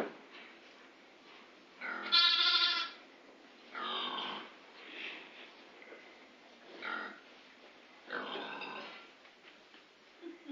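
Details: Grey Face Dartmoor ewes with new-born lambs under two weeks old on a farm; a loud harmonic bleat near two seconds, followed by several softer, breathy bleats spaced every two to three seconds.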